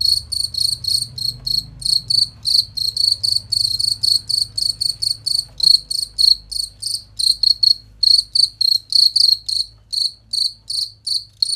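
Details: Long run of cricket chirping made as master material for competition songbirds: crisp, shrill pulsed chirps repeated rapidly and fairly evenly, about four per second, over a faint low rumble.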